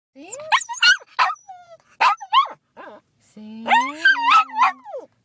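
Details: Female cockapoo pet dog singing when prompted by its owner: wavering, rising and falling harmonic howls and yelps in short bursts, with a person's voice and a steady low hummed tone mixed in.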